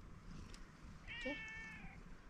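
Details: Female tuxedo cat with a pink nose giving a single clear, drawn-out meow lasting about a second, steady then fading, recorded indoors with quiet background.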